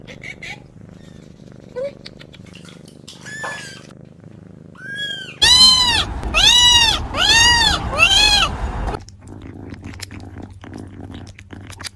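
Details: A kitten meows in a run of five loud, arched, tonal calls about half a second apart, preceded by a few soft chirps and short squeaks in a quiet indoor setting.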